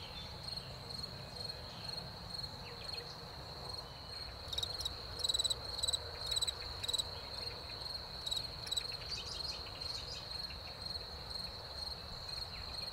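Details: Crickets in spring following rain: a sustained high-pitched trill, with a denser burst of loud rapid chirps in the middle section, then steady singing again; faint low rumble.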